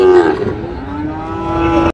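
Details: Bull calf of Sahiwal or Friesian breed at a Munshiganj cattle market, 24 July 2025, giving one long sustained moo that holds a level, slightly wavering pitch for nearly two seconds, then cuts off abruptly; faint market background.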